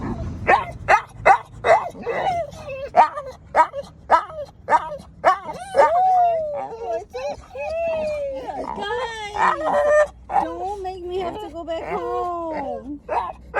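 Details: An excited American Bully (pit bull) puppy gives rapid yips, then long wavering whines and howl-like moans, a sound its owner had never heard it make, with people talking and telling it to calm down.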